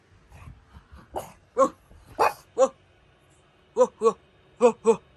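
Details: Pug starting with low muffled grumbles, then breaking into crisp barks, ending with two tidy pairs of quick barks.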